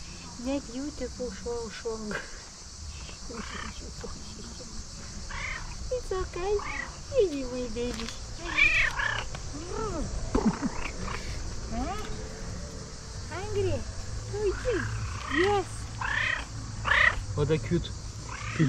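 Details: Cat at a tree meowing and trilling as though it wants to tell something: a run of arched, rising-and-falling meows and short chirping trills over several seconds, mixed with a person talking softly in Dutch and faint background noise.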